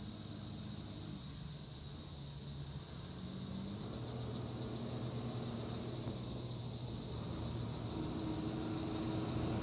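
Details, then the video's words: A constant high buzzing chorus of tree crickets in olive trees, Edremit, Turkey, with a faint low hum and drifting low tones in the background. "Tree cricket noise in Olive trees - acheta assimilis"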